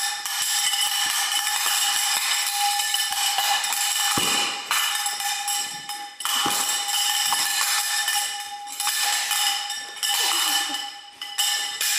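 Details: Steady metallic cowbell-like clanging and bright percussive jingling fill the recording, with a sustained ringing tone throughout and no animal voice.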